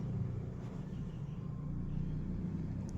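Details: A steady low vehicle rumble runs throughout, with no animal voice heard.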